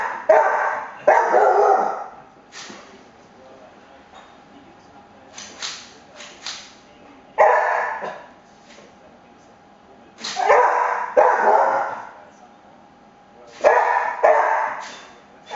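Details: Pet cocker spaniel named Cooper freaking out at blinds being moved at home: bursts of two or three harsh, mid-pitched barks every few seconds, with clattering taps from the blinds in between.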